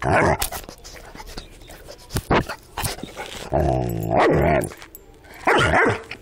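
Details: An ornery Rottweiler, with scattered clicks and taps at first. A deep, rough growl follows in the middle, and a short gruff burst comes near the end.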